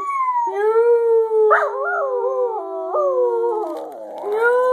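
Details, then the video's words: Scruffy, a pet dog, sings in a continuous wavering howl that steps between pitches and ends on a rising note, with another higher tone sounding alongside. "Scruffy, The singing Dog"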